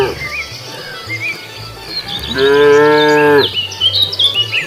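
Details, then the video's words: A single strong moo lasting about a second from a cow roaming the road in search of food, flat then dropping at the end, set against chirping birds and a low rumbling background. "Cows walking leisurely wandering around the road looking for food, Funny cow sounds"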